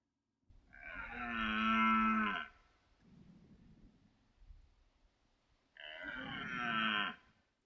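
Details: Male red deer, a red stag, roaring, played back as a guessing-quiz sound: two long, hoarse, harmonic-rich roars of about two seconds each, separated by a pause with a low rumble, against a quiet background.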